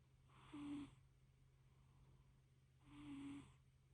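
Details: Napping little fluffy cat purring and snoring; two rough, breathy snores about three seconds apart, the second longer and swelling more slowly, above a constant low hum.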